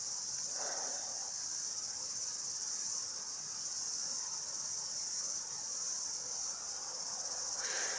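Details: Numerous cicadas chorusing outdoors behind a seated listener, a continuous shrill buzzing drone holding steady across the whole stretch, with soft low murmurs at the start and end.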